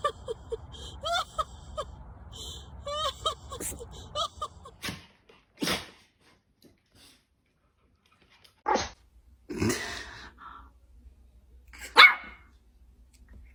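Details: Hendo, a two-year-old male Pomeranian, sneezes in a series of short, sharp, breathy bursts spaced a second or more apart, following a few seconds of light musical notes.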